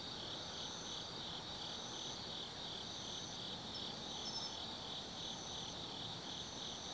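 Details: Night chorus of autumn insects in the forest of Tsukimi no Mori, Gifu Prefecture, Japan, above the Nobi Plain: continuous high ringing trills layered with short, evenly spaced bright chirps and faint low rumble beneath.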